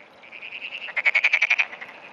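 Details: A frog calling at early morning on 17 June 2009 gives high, tinny notes: a steady trilling run, then a louder burst of about eight quick pulses, roughly ten per second, fading back into the softer trill.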